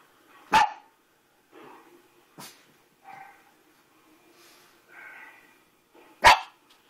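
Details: Pet dog Sophie responding to footage of herself as a puppy, letting out a loud bark, then short soft woofs and whines over several seconds, ending in another sharp, powerful bark.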